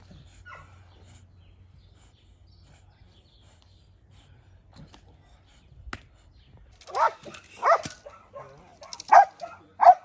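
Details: Belgian Malinois in decoy training: near silence with a faint low hum at first, then four loud barks in the last three seconds.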